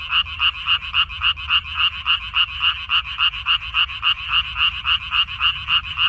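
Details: In a water dropwort field on 14 May 2021, frogs croak in a very regular pulsing chorus, about three to four nasal croaks per second, steady and loud throughout.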